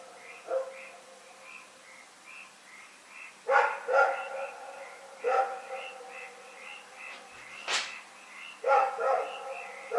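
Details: Night barking from Rex the dog, recorded February 27, 2018. Single and doubled rough barks break out at irregular gaps, with one sharp click midway and a constant high-pitched chirping in the background throughout.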